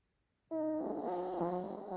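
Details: A pet dog snoring in the morning, loud enough to wake its owner: after a half-second of silence, a steady, buzzy, droning snore with a low rasping tone sets in abruptly and continues unbroken, with slight wavering in pitch.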